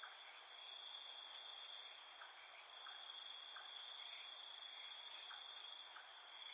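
Field crickets chirp at night, high steady trilling tones layered into a continuous insect chorus.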